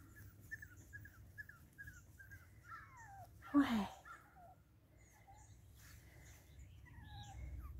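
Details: Boston Terrier puppies from Wiggle's litter giving a run of short high squeaky whimpers, then longer whining cries that slide downward, with a woman's voice talking softly to one staying at her feet and a brief loud bump.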